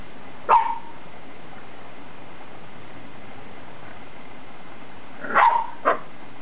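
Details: Adult six-year-old female Boxer with a Boxer puppy that is trying to wind her up while she stays unimpressed and yawns. Two short, harsh barks, one early and a double bark about five seconds later, over steady quiet room hiss.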